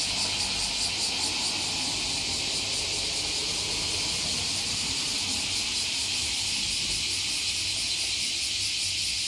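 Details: Massed cicada chorus near Fukuoka Bay, Japan; insects that lived under a 50-year-old tree now singing together. Continuous shrill buzzing wall of sound with rhythmic throbbing pulses and faint low rumble below.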